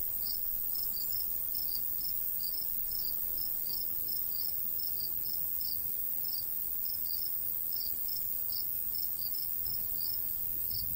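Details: Summertime crickets over a golden wheat field in the countryside; brisk high-pitched chirps in clustered pairs and triplets, repeating steadily, with a light breeze in the background.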